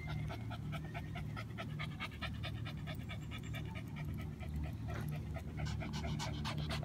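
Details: Two Shih Tzus, Jack and Jill, on a summer dog walk in hot weather, panting hard and fast in steady rapid breathy bursts throughout, over a constant low hum.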